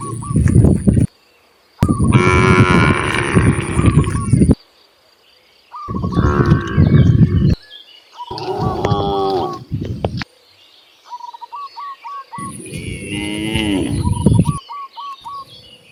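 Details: Freely roaming cows heading to open grasslands moo repeatedly, with six deep, harmonic lows of one to three seconds, some rising and falling, interspersed with bursts of chirping birdsong in the quiet gaps.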